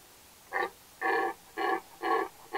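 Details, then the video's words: Red deer roaring in the mating season: a run of five short, harsh, grunting bellows, each about a quarter second long, following one another roughly every half second against a quiet background. "Il bramito del cervo - Red Deer roar"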